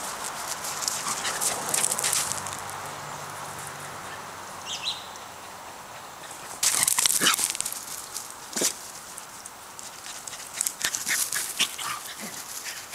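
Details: Two Pembroke Welsh Corgis in a back yard, a three-year-old female trying to get an old male to play, give sharp, high yips and barks in uneven bursts, singly and in quick clusters, over steady outdoor hiss.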